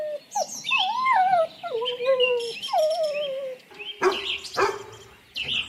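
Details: Dog giving long, wavering whines that slide up and down in pitch, several drawn-out cries in a row. Two or three abrupt, harsh barks follow near the end, with high chirping sounds in the background.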